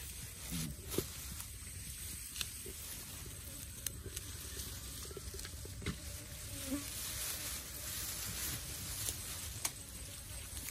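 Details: An otter chews a barramundi (sea bass) in a forest, with wet crunching and irregular clicks of teeth on flesh and bone.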